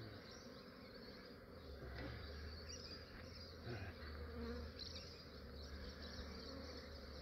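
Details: Massive Australian honey bee swarm collected early in the morning while still cool; a thick, even buzzing drone with gentle rises and dips in loudness over a low background rumble.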